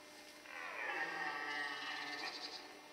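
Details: Red deer during the rut in the Forêt de Chaux, Jura, near Dole, France, where males were fighting and hinds were present; a long, harmonic, hoarse bellow swells after half a second and holds for over two seconds, with faint background hiss.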